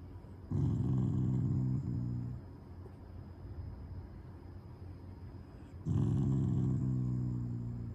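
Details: Shiba Inu named Taiga, a loving family dog growling out of affection rather than anger while lying down; two long low rumbling growls, each about two seconds, with harmonic bands, separated by quiet low background hum.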